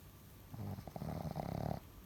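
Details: A nine-month-old Boston Terrier sleeps buried in fluffy laundry. It gives one low, rumbling snore lasting just over a second, with a fluttering pulsed texture. Quiet indoor background comes before and after.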